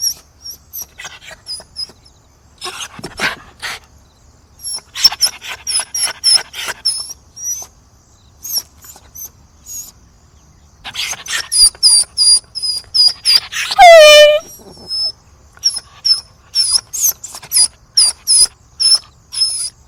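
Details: Dog, said to be begging, keeps up long series of high squeaky yips and cries, with one rising-and-falling whine in the middle, bursts coming in fast rhythmic runs.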